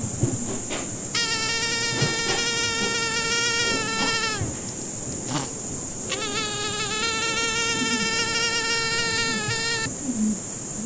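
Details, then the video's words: Two separate bouts of fly buzzing, each about three to four seconds of droning, slightly wavering hum with a short gap between, set against a constant high hiss. "Звук мухи. Жужжание мухи."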